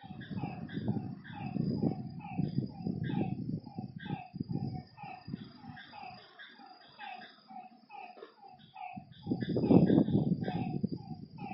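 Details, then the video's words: Frogs calling at night beside a lake: rapid, overlapping croaks with bright harmonic layers, a thin steady high insect drone above, and heavy low rumbling bursts that swell and fade underneath. "Lakeside night creatures and frog sounds"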